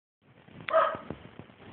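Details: A pet Welsh Terrier named Romeo, said to rarely bark, gives a single short bark with a harmonic band, followed by a few faint thumps and low background noise.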